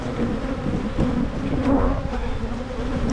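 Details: Brief burst of honey bee buzzing at Michigan hives being split to limit swarming. A low, steady hum sits under heavier rumbling handling noise and a few sharp clicks.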